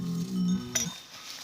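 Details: Angus cattle in a village herd, where bulls eye rivals and square up to fight; a low, steady, droning moo of under a second, ending in a sharp metallic clink, with faint music behind.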